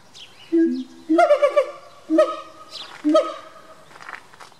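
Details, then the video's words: Siamangs (Symphalangus syndactylus) sing loud, harmonic barking and whooping notes, repeated roughly once a second, at a zoo in November. "Siamang Gesang (Symphalangus syndactylus)"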